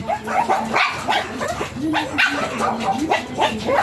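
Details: Small Pomeranian dog at a stud mating in Binalonan, Pangasinan, giving a quick, uneven run of short, high yips and sharp barks, several per second.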